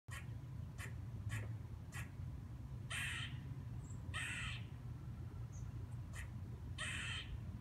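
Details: Squirrel. A squirrel gives a run of short, dry chuck notes about every half second. Longer, harsh, buzzy barks follow at wider gaps, over a steady low rumble.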